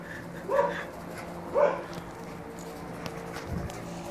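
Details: Two sharp barks one second apart from a dog chasing a blimp, followed by near quiet with faint background noise.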